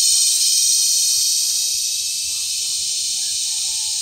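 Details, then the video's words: Cicadas mating during cicada season at Sitio Bagumbayan, Brgy. Balabag, La Carlota City, Negros Occidental, on July 18, 2020, give loud mating calls. The sound is a steady, piercing high buzz with a fine rapid pulsing that barely changes in strength. "Pinaka Maingay na Insekto sa Buong Mundo | Cicada Season | Cicada Mating"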